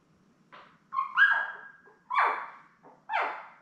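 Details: Newborn Labrador Retriever puppies, seven in the litter with mother Belle, born May 24, 2021, indoors on a puppy cam; a thin whine followed by three loud, rising-falling squeals roughly one second apart in a quiet room.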